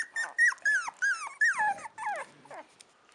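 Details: Four-week-old Chow Chow puppies let out a run of loud, clear whines, each a high drawn cry that bends downward at the end, about six in under two seconds before fading to softer squeaks.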